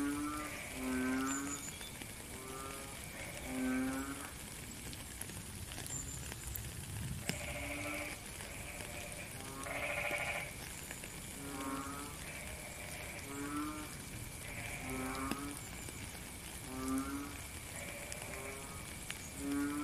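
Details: A chorus of frogs in the rain: low, groaning calls with strong overtones, given in rhythmic bursts every second or two by several overlapping callers, one briefly louder and higher, all over steady rainfall.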